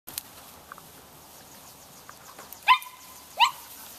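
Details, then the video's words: Eight-week-old Chinook puppies at play, from the 2011 Forever Greene litter of Tali and Huck; two sharp, high yelps sound about three-quarters of a second apart near the end, after faint scuffling and soft squeaks. "Chinook Puppy Play"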